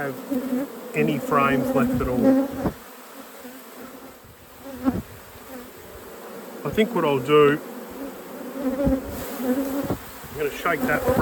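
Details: Buzzing honey bees at an inspected hive in a productive apiary: a low steady drone with two loud clusters of swirling, rising-and-falling wing whines from bees passing close, softer hum between.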